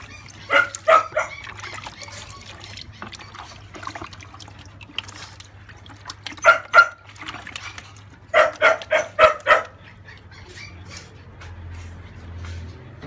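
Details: Thirty-day-old French Bulldog puppy, a female, being bathed to remove cradle cap; sharp, bright yelps come in quick clusters of three to five, separated by quieter stretches with a low steady hum beneath.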